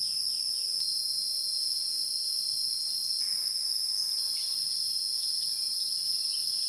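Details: Wild insects in a dense, unbroken high-pitched chorus, two steady shrill bands droning without pause, with faint scattered chirps beneath.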